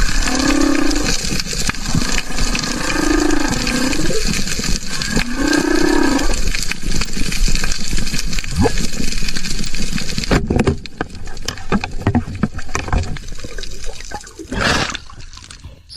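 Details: Humpback whale song recorded underwater more than 500 m offshore of Comoros, Mozambique Channel: low, arching moans every couple of seconds.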